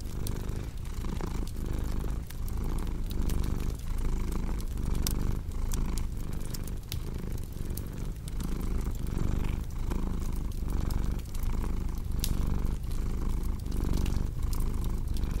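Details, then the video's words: Cat purring, a steady deep rumble with clear inhale and exhale pulses roughly twice a second, accompanied by continual sharp crackles of burning wood in a fireplace. "Purring Cat with Cozy Crackling Fireplace Sound"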